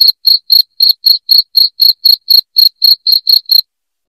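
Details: Loud cricket chirping, played to drive rats out of a home: short, sharp, high chirps repeated about four times a second in an even run, then stopping abruptly before the end into silence.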